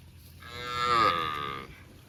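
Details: Cow mooing while eating grass in a park: one drawn-out, rich harmonic moo of about a second, swelling then fading, with a faint steady high hiss behind it.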